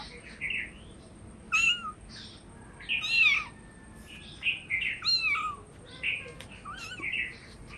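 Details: Hungry cats meowing for food: a run of high, thin, harmonic mews, some rising then falling, coming about once a second with brief gaps, several overlapping in places, over a faint low room hum.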